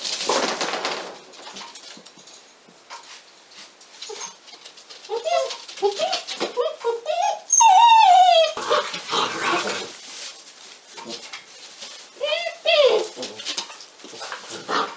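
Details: Litter of 46-day-old Pyrenean Mountain Dog puppies at a breeding centre in Cerdanya, Catalan Pyrenees: scattered short yelps and whining cries, one long rising-then-falling whine near the middle, amid rustling and clattering noise.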